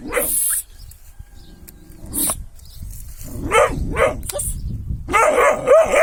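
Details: Kangal dog giving separate sharp barks, first spaced a second or more apart, then a faster cluster of ringing barks at the close, with brief noisy rustles and bumps between them.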